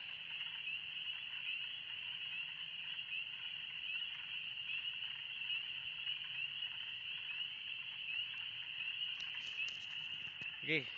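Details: Loud spring peepers calling together in the Oxford Woods in warm spring weather, an unbroken piercing high chorus, ending with a short human exclamation.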